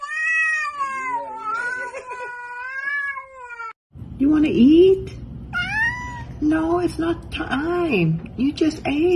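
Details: Domestic cat 'talking' among a compilation of cats said to speak English: one long, steady drawn-out meow, then several short meows that rise and fall. A person speaks to the cat about eating, and soft music plays.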